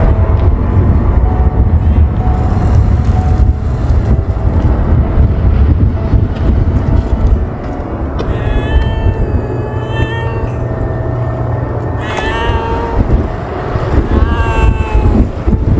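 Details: Hungry stray ear-tipped cats being fed in strong wind and freezing cold, giving a few drawn-out, rising-then-falling meows around the middle and near the end, half buried under a constant roar of wind and low rumble.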